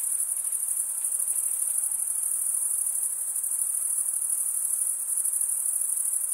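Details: Many crickets trill together in a bright, very high, rapidly pulsing chorus that stays level throughout, accompanied only by a soft background hiss.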